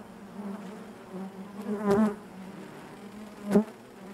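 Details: Honey bee hive interior: a low, even drone hums throughout, broken by two louder buzzing bursts as individual bees pass close, the second one short and sharp near the end.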